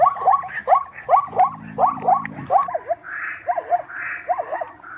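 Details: Zebra yelps in short swooping barks, a brief low buzzing drone midway, then a few spaced V-shaped notes and a raspy noise near the end.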